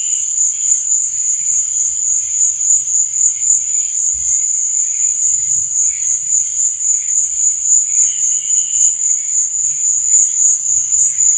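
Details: Cricket chirping at night for sleep and relaxation: a constant, high, ringing trill with rhythmic loudness pulses, soft intermittent lower chirps, and faint low rumbles underneath.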